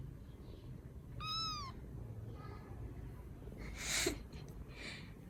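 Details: A single rescued baby kitten in Vietnam lets out one clear, rising-then-falling mew, followed by quiet rustling and a brief burst of handling noise over a low background hum.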